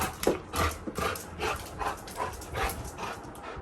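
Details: A sleepy Labrador Retriever that sleeps indoors in the bedroom, woken for a midnight walk, panting in quick, rhythmic breathy bursts, about two or three a second, with faint soft whimpers.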